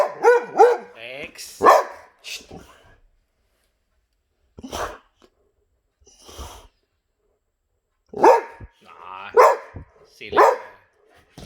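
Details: Boxer dogs reacting to a vacuum cleaner indoors: short bursts of harmonic, arching barks early on, then quiet gaps, then three more loud barks near the end, with a person talking between them.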